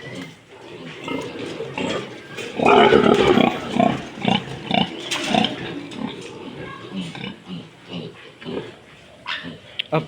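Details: Pregnant sow close to giving birth on a farm where two sows have just farrowed; a run of short, rough grunts, loudest in the middle, while a man talks over them and calls out short repeated sounds.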